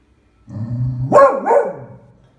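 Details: A low rumbling growl builds into a loud two-part bark from Beagle Eva, who is wary of a pram, on February 20, 2016.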